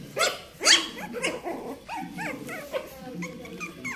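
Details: Shih Tzu puppies in Bangalore: rapid, high-pitched little yaps and squeaky barks tumble over one another, about two a second, from several pups.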